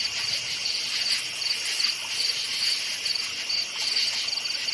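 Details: Forest crickets at night give a high, ringing chorus of quick, evenly spaced chirps, several per second, layered over a steady background buzz.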